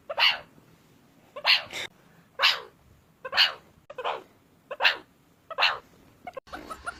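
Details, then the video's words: Meerkat giving a series of harsh, raspy, explosive calls, each short and noisy, repeated roughly every second with a brief scratchy burst at the end. "MEERCAT SOUND EFFECT 미어캣 울음소리"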